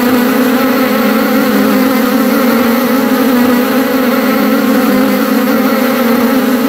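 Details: In a meadow, a bee's steady, low droning buzz runs unbroken for the whole stretch, even in loudness, with a rich hum of overtones and no other clear sounds.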